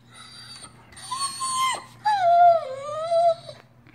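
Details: Crying Doberman Pinscher gives two whimpering whines. The first is short and wavering. The second is longer, sliding down then rising slightly, and is heard in a small room while its owner coaxes it.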